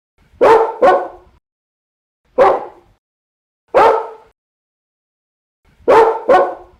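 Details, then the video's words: Barking dog from a mixed-breed compilation: a quick double bark, two single barks about a second and a half apart, then another double bark, each loud and broadband against a silent background. "51 Cachorros Latindo - Som de Latido de Cachorros Variados"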